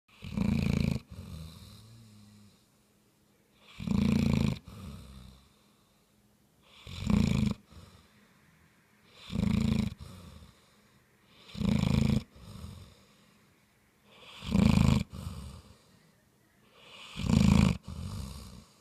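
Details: Sleeping bloodhound snoring loudly indoors: deep, rough, low snores about every three seconds, each burst under a second long, separated by quieter wheezy exhalations and near silence.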